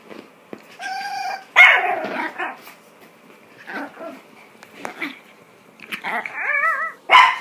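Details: Female Chihuahua, very angry at wearing her first clothes and trying to get them off, gives high whines, sharp yelps and short barks, ending in a quavering, wavering whine and a final yelp.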